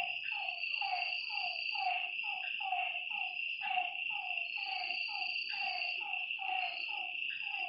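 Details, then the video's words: Lakeside frogs at night giving quick croaks that slide downward, stacked closely in an uneven run roughly twice a second, with a constant shrill drone of night insects underneath. "Lakeside night creatures and frog sounds"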